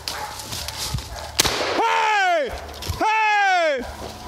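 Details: Hound on a deer hunt at St Helena, South Carolina, from HomeGrown Kennels, giving two long, drawn-out baying howls, each arching up then sliding down, with a brief pause between them and light background noise.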